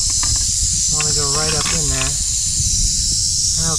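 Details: A small, feisty tiger rattlesnake, moving after monsoon rain in humid weather, rattles in a steady, high, hissing buzz that runs without a break as it is released at a rock pile.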